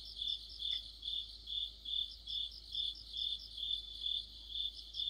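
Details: Crickets joined by other insects in a deepening-autumn chorus near a streetlight, steady pulsed high chirps a little over twice per second, with one short faint note early on.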